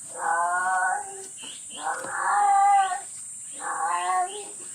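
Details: Strange cat calls heard outside a livestock barn where the barn cat Jerry nurses her kittens: three long, wavering meows of about a second each, the middle one loudest, with a constant high-pitched electrical hiss underneath.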